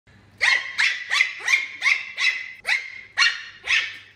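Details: Puppy named Puffyk reacting to a laser pointer alongside a kitten: eight sharp, high yappy barks in quick succession, roughly every half second, each with a bright ringing tone and a slight rising onset, over a faint low hum.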